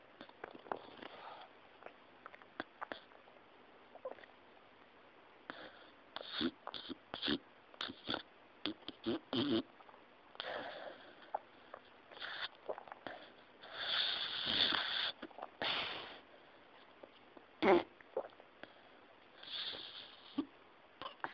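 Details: English Cocker Spaniel snoring: harsh, breathy rasps and snuffling bursts in uneven runs, some longer wheezing stretches, indoors.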